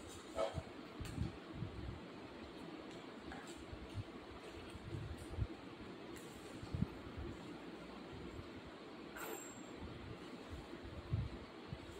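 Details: Low rumbling vehicle or train noise with faint scattered clicks and knocks, no animal voice audible.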